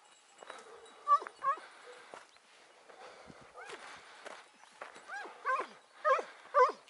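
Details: Hounds baying on a hare chase on a morning of 6 October 2018, during the quick flush and pursuit of the first hare. High, bending yelps come in irregular bursts, several voices overlapping, growing louder near the end, with faint ringing tones behind.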